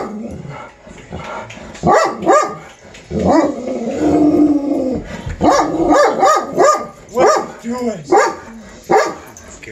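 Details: Dog worked up over squirrels, 23 April 2020: a run of loud, tonal barks broken mid-way by a long, drawn-out whining yelp, then quicker barks resume in bursts.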